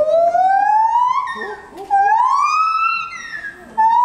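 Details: A gibbon at Asahiyama Zoo, 24 July 2014, sings from 14 m up, loud, pure whooping notes that slide steadily upward, one after another.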